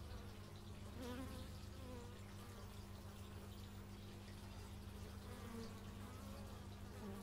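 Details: Bees heard outdoors in stereo through an x/y microphone: an unbroken low buzzing drone, with several wavering higher hums sliding up and down as single bees fly past the microphone.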